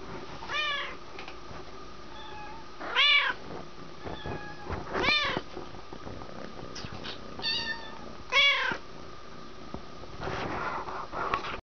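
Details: Siamese cat up for adoption, recorded on 18 February 2011, meows again and again: about five sharp, rising-then-falling harmonic meows spaced one to three seconds apart, over a steady background hum and faint shuffling.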